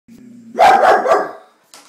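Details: Vizsla dog barking at a stink bug: a low, tense whine-like rumble gives way to one loud, harsh bark lasting under a second, followed by a brief voice.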